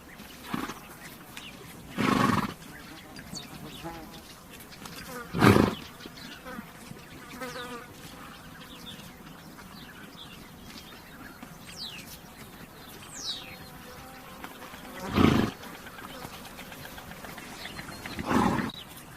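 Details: Horse giving four short, breathy, broadband snorts spaced a few seconds apart, over a steady background of buzzing insects and faint chirps.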